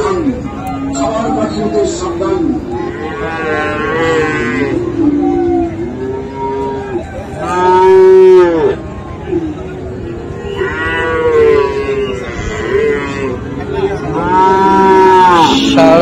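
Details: Cattle, Friesian and crossbred bull calves, at the Raniganj market in Dinajpur, 7 November 2024; several loud, rich moos rise and fall at intervals of a few seconds, one very strong around the midpoint, over busy crowd chatter.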